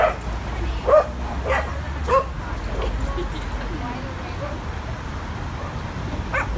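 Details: Adopted dogs playing at a New York City dog park on the west side, on their first visit. Several short, sharp barks come in quick bursts over the first two seconds, over a steady murmur of people and outdoor background noise.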